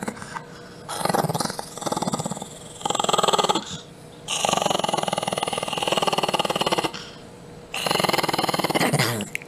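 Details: A Chihuahua growls in rough, pulsing, buzzy bursts, each lasting about a second, with short quiet gaps between them, repeated several times in a row.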